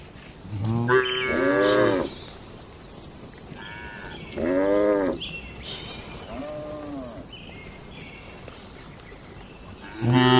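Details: Tame cattle in a farm barn on their daily routine: repeated loud harmonic moos about every two to three seconds, some softer, with faint bird chirps in the background.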